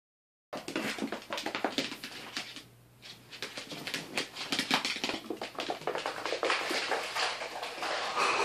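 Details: Lilith, a pot-bellied pig, runs back and forth inside a house making her odd cuacuacua noises: rapid, rough, clipped grunts in dense bursts, a brief lull near three seconds, then the chatter resumes steadily in an indoor room.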